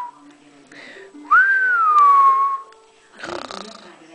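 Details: Single high whine from an eight-week-old female French Bulldog puppy, sweeping up then easing gently down over about a second, followed by a brief snuffly, breathy noise.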